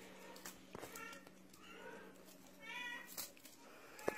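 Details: Russian Blue cat giving a soft, faint meow with a short harmonic rising-falling tone, set over a low steady hum and scattered clicks and knocks in a quiet room.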